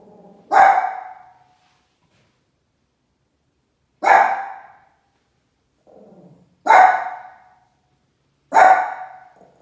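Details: Dutch Smoushond dog barking toward horses, 'talking' to them. Four sharp, single, loud barks spaced roughly two to four seconds apart, some preceded by a soft short grumble, with silence between.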